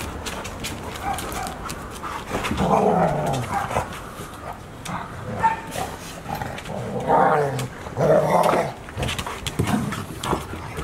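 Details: A 169-day-old Golden Retriever puppy gives short whining and growly vocal bursts, with household noise around it.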